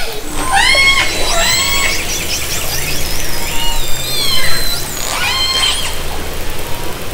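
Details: Orcas recorded underwater by hydrophone from a kayak in Haro Strait, summer 2010: bright harmonic calls that sweep up and then level off, overlapping in a busy chorus, with a steady low hum beneath.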